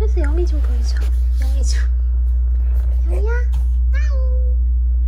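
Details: Small weak kittens, found fading while huddled together on the way home from a family funeral, give thin high meows that bend up and fall, four or so spread over five seconds, over a steady low hum.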